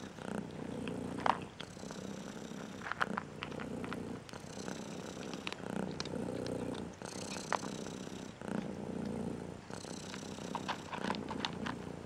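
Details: Striped female domestic cat said to be angry and depressed, purring while a disliked song plays next to her ear; steady low rumbling purr under scattered clicks, rustles and brief higher tonal sounds.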